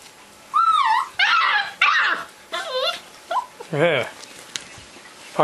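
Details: Four 35-day-old Old English Sheepdog puppies named Baekdusan, Kkotnami, Meotjaengi and Yeongsimi, indoors: several wavering high whines and whimpers that rise and fall in quick bursts over about five seconds, with a man speaking faintly.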